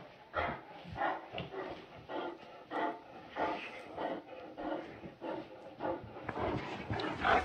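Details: Great Dane voicing a rapid run of short, hoarse bark-like bursts, roughly two per second and fairly even in loudness, with a final louder, higher yelp at the end.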